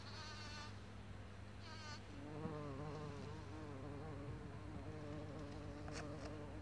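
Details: Bumblebee, called an earth bee, recorded on 26 April 2017 around 11:45, giving a wavering, droning buzz rich in overtones that swells and fades over several seconds above a steady low hum, with brief higher buzzy bursts near the start.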